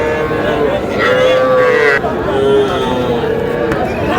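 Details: Small bulls and heifer calves at a livestock market in Aftabganj, Dinajpur, on 24 August 2026: a long steady moo, then a shorter second one, with busy crowd noise and talking behind.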